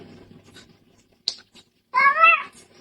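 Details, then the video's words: A pet cat that "talks" with its owner gives one drawn-out, wavering meow after a stretch of quiet background and a single sharp click. "When I had a talking cat"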